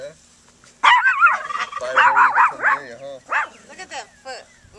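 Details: Newborn puppies in a brand new litter, handled by people, giving a burst of high, wavering whines and yelps with rising and falling harmonic arcs, several close together, then quieter squeaks; no talking heard over them.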